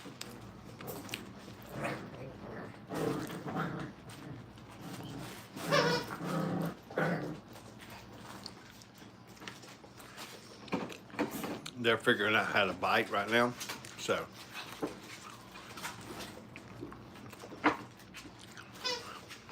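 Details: Brittany puppies during crate and tunnel training at Hilltop kennel give irregular bursts of short harmonic whimpers and growly yelps, with a longer wavering whine about two-thirds through, over a quiet indoor background.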